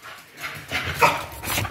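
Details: A 12-month-old male Patterdale Terrier fell dog weighing 12.3 kg vocalizes during playtime. Short, rough, noisy bursts are followed by a brief, brighter tonal note midway, then more scratchy bursts.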